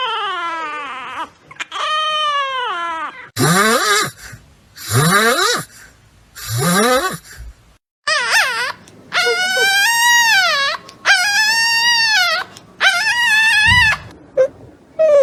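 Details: Newborn puppies, from birth to four days old, born by caesarean section, whose mother overcame rejecting them to nurse: a run of loud, arching, harmonic cries, each rising then falling, with short gaps between bursts.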